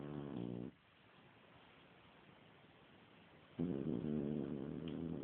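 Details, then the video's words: Snoring from a sleeping French Bulldog being coaxed awake: a rough harmonic snore fading out, a three-second quiet pause, then another loud raspy snore building and continuing. "french bulldog snoring"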